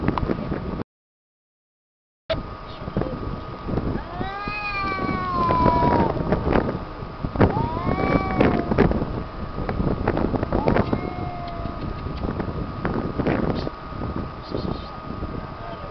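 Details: Two cats yowling at each other near the beach in Tel Aviv, Israel, sounding hostile rather than loving; drawn-out wavering wails rise and fall in overlapping bursts, over steady low traffic or surf noise and a constant hum.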